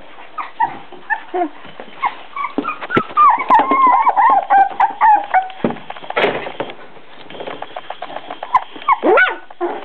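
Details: Four-week-old Beagle puppies give fast, overlapping whines and yips, some drawn out into longer wavering squeals, in a dense, restless chorus with short pauses.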